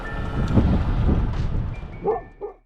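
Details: Golden retriever Maggie barking at the ice during a river walk in nature; a couple of short barks near the end after low rumbling movement noise, with a person's reassuring voice earlier.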